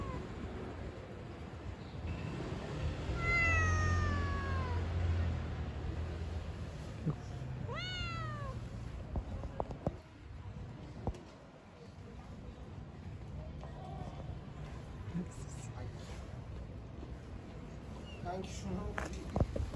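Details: Pregnant street cat gives two short descending meows early on, then mostly quiet stretches with a woman calling to it and scattered handling noises and low rumble.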